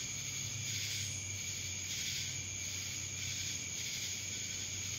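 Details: Chorus of cicadas from Dallas, Georgia, a continuous shrill drone that rises and falls in soft waves about once a second, with a faint low rumble underneath.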